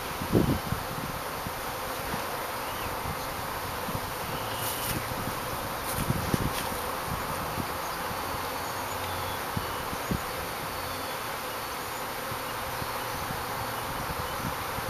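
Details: Honey bees of a first home beehive, newly arrived on April 2, 2011 and settling in with their queen; a steady, dense buzzing hum fills the whole stretch with a few soft clicks and knocks.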